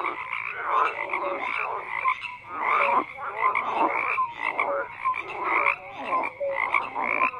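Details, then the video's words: Many frogs croak together, loud pulsed bursts swelling and fading roughly every second, with short bright whistled notes scattered through the dense chorus. "FROGS CROAKING"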